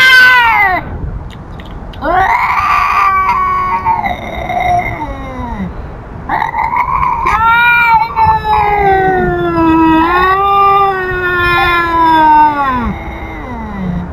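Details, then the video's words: Feral cat telling off an intruding cat: long, loud wailing yowls with rich harmonics, each sliding up then drooping downward, in drawn-out bursts with brief pauses, the pitch wavering through each cry. "The Feral Cat Tells Off An Intruding Cat!"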